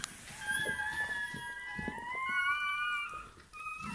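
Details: Bernese Mountain Dog puppy, newborn at birth, indoors: a single long, thin, steady whine that slowly rises in pitch over three seconds, then a short fresh whimper, with faint low rustling behind.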